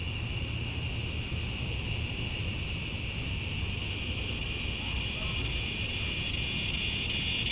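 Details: Cicadas at dusk on a Georgia summer night, males chirping to attract females: a steady high-pitched buzz with a second lower tone, joined toward the end by a faint, even higher shimmering sound.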